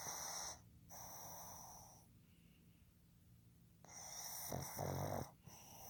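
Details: Male pug Fukuzo, born 15 July 2020, snoring in his sleep: a breathy wheezing snore, a lull, then a louder rattling, snorting snore with a gurgling edge.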